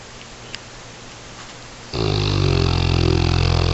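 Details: Sleeping dog: after nearly two seconds of quiet room hiss, a loud, droning, buzzy snore begins and continues steadily to the end, deep and layered with a low rumbling pulse.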